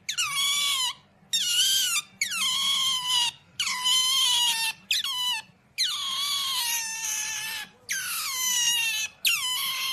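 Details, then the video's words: Otter letting out loud, high squeaky calls, each a bright, harmonic-rich squeal that slides slightly downward, about eight in ten seconds, separated by short pauses, with a faint low hum underneath. "Pamper Funny Otters noise are so cute"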